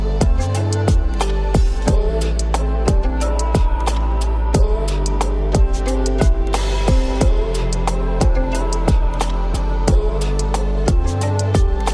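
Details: Only electronic music with a steady drum beat and sustained synth tones is heard, with no animal sound.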